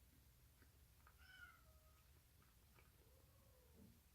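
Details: Rescued baby street kitten, a cheese tabby, filmed 1 March 2019 making odd sounds while eagerly eating; two soft, thin meows, the first high and wavering with a falling tail, the second lower and drawn out, in a quiet indoor room.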